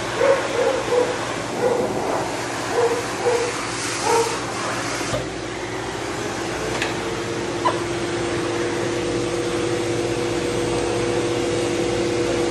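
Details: Matted Shih Tzu with no tolerance for discomfort, biting from pain while being de-matted and dried: a run of short, whiny, harmonic yips in the first five seconds over the constant roar of a blow dryer, followed by a steady drawn-out tone.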